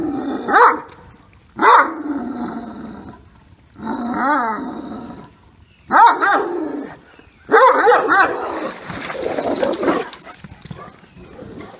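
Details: Two talkative Great Danes, Max and Katie, one of them deaf, argue vocally by a pool, with deep, rough barks and drawn-out, wavering grumbles in irregular bursts.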